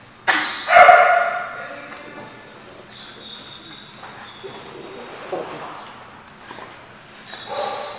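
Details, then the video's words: Dog barking at a place called the Barking Lot: one loud harmonic bark early on, then quieter scattered barks and yips over background chatter and noise. "The Barking Lot"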